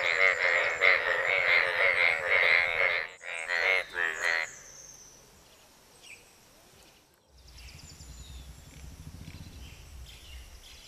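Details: Asian bullfrogs calling out to attract a mate: loud, rapidly pulsed, bleating croaks in a dense run of short bursts for about four seconds, then quiet with faint background rustling and distant chirps.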